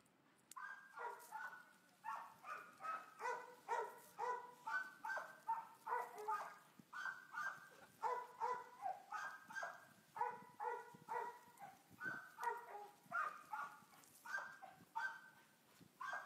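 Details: Boxer dog up for adoption, dated 1 August 2015; rapid runs of harsh, mid-pitched barks, roughly two per second, in uneven bursts separated by brief pauses, with a faint steady high hum behind.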